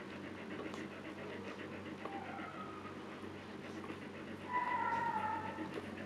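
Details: Siberian Husky named Luna in labor, giving birth to puppies for the second time and staying calm. She gives a brief thin whine, then a longer, slightly falling high whimper near the end, over soft rhythmic panting indoors.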